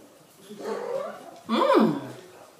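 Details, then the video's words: Female American Shorthair cat indoors in conversation with its owner, first giving a cute reply then grumbling angrily; a soft drawn-out meow, then a louder rising-falling meow after a short pause, with the owner's voice faint. "女子っぽい猫との会話: 可愛いお返事の後、ぷりぷり怒りだすあめちゃん！ -Cat and Mom have Cute Conversation"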